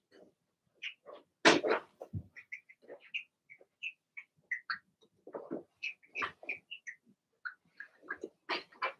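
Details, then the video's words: Blenheim Cavalier King Charles Spaniel puppies from Remy's first litter of six, two girls and four boys, in their puppy pen: rapid high squeaky yips and whines in quick overlapping bursts, with one louder rough cry near the start. "Cavalier Puppies Bark, Howl"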